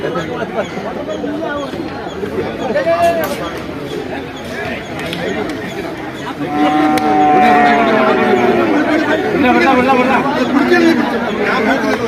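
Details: At the Vaniyamkulam market, where bull calves are traded, a long, steady moo swells out of a background of human chatter and crowd noise, followed by shorter lowing calls.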